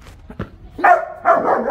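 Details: Long-coated German Shepherd, tied up before being taken to a vet, gives two loud, harsh barks in quick succession after a brief quiet start.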